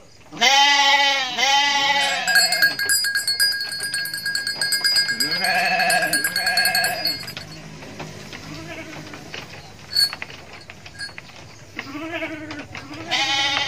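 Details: Indonesian mother goat bleating in quavering bursts: a close pair at the start, softer cries midway and another loud pair near the end, over sustained high metallic ringing tones and quiet background noise.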